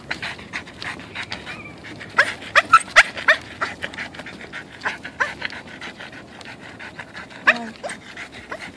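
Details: An excited Boston terrier about to go on a walk whines, yelps and pants in quick, irregular bursts.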